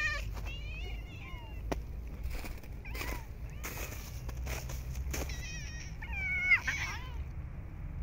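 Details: Stray cats fed during snowy winter weather meowing several times between rustling and knocking sounds, with a burst of wavering meows near the end.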